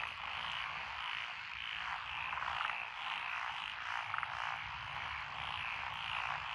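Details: A nighttime-style wall of frog calls rises from lotus rice fields along a country lane in Echizen, Fukui Prefecture, Japan, 12 June 2021. Steady overlapping croaks and trills, with a few louder individual pulses standing out.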